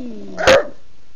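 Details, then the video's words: A female bulldog insists on being fed at her regular dinner time at home. One short, forceful bark comes after a fading whine, with a woman talking nearby. "Bulldog Betty wants her dinner NOW"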